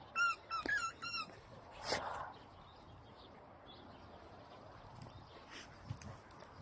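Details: Dalmatian dogs, puppies and adults, outdoors in a yard on a sunny morning; three short, high, squealing yelps in quick succession open the recording, then a faint softer whimper and quiet outdoor background.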